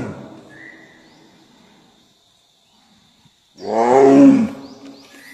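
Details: After a quiet stretch, a single loud Bengal tiger roar bursts in: a deep, rasping, moaning call lasting about a second before tapering off, over a faint continuous high tone.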